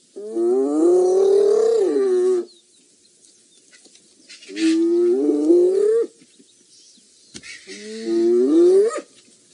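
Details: Spotted hyenas at an elephant carcass on a March 29, 2018 morning, moving cautiously as more hyenas arrive and a fight seems near; three drawn-out, rising, moaning calls of about two seconds each, separated by short silent gaps.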